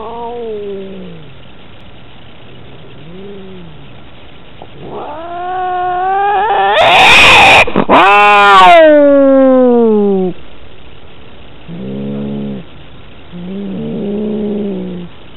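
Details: Domestic cat in a fight, caught on a cat collar camera: drawn-out wavering yowls rising and falling, swelling into a loud harsh screech around the middle, followed by shorter pulsed growling moans.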